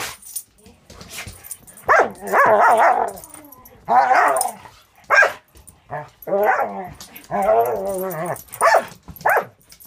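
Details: Angel, a Border Collie mix aged six months in foster care with Wisconsin Border Collie Rescue, romps with the dog Cisco, letting out clustered, wobbling, harmonic growl-barks in bursts separated by brief pauses.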